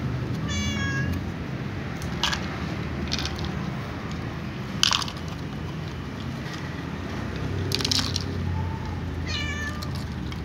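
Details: Calico cat meowing to be fed, with other cats also asking for food: two short harmonic meows, one near the start and one near the end, separated by sharp clicks and knocks over a low steady rumble.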